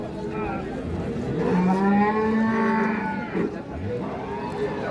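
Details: Cattle at the Ambari cow market in Parbatipur, Dinajpur, on 10/3/26, where cows with calves are traded; a deep drawn-out moo rises slightly and holds for about two seconds amid market chatter and people bargaining.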